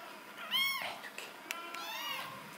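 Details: Golden shaded or ticked cat, handled indoors, gives two high arched meows about a second and a half apart, with Bulgarian speech talking over and between the calls.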